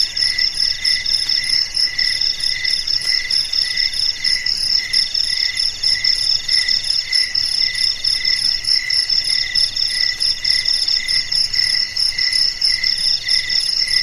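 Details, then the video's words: Nighttime crickets keeping company in the darkness, bright high trills pulsing in slow regular bursts over a constant shimmering chorus of other insects. "SUARA JANGKRIK MERDU DI MALAM HARI"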